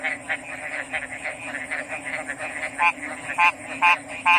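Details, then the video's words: Soft overlapping frog chorus murmurs at first. Then, near the end, a closer frog breaks in with four loud, quick, pulsed croaks, all over a constant thin high hiss. "RELAXING ORIGINAL FROG'S SOUNDS"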